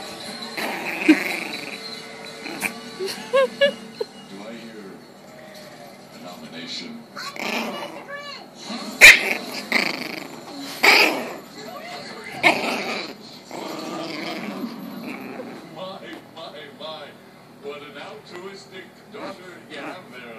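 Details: Angry 7-week-old puppy Lily, a Chihuahua-Pekingese cross, makes squeaky growls and little yaps in uneven clusters, roughly thirty a minute, with human voices chatting and laughing alongside and some faint music.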